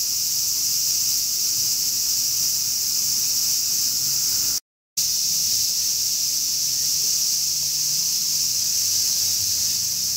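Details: Large brown cicada in summer, an unbroken high buzzing sizzle cut by a brief half-second silence midway, then resuming at the same strength; faint low hum beneath, part of a 'semi-shigure' cicada shower.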